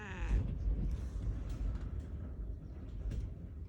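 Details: Ciel, a six-year-old female black cat, meows angrily at her owner for patting her rump the wrong way; one short, harmonic meow opens the clip, followed by low thumping and steady indoor rumble.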